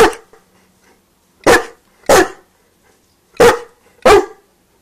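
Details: Newfoundland dog asking for a sausage with five full, powerful barks, the last two coming close together as pairs about half a second apart.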